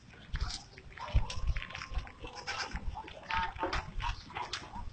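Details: Goats eating forage: dense crunching and rustling throughout, with a faint, drawn-out tonal bleat early on and short chewing bursts recurring every fraction of a second.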